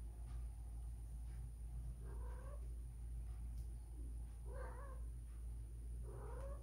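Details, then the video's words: Female cat Whisky, spayed two years ago yet acting in heat, calls for a male with repeated short bent yowls about once a second, rising then dropping, over constant low rumbling noise. "Cat Mating. Even if Spayed it Happened!"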